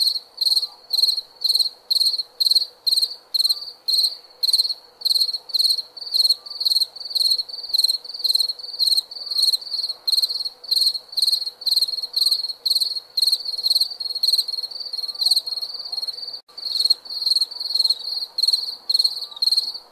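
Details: Nighttime cricket chorus: continuous run of high, pulsed chirps about two per second, steady and insistent, with a brief dip near the end and a faint low background hum.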